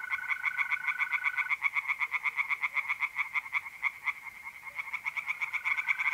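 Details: Tree frogs singing in a pond on an April night in north-east Italy, a dense chorus of fast, rattling croaks repeated about four times a second. A steady, even trill from mole crickets runs beneath at the start and end.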